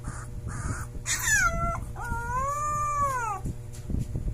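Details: A Siberian Husky puppy howls for the first time: a thin, high howl that slides down, then swells and falls away.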